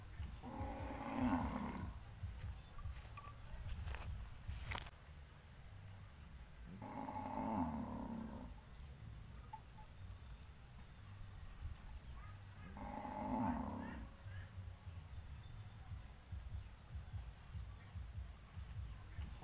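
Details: Herd of farm cattle gathering on a road before being taken to pasture, mooing three times about six seconds apart, each call a harmonic low bellow near a second long, over steady low background noise.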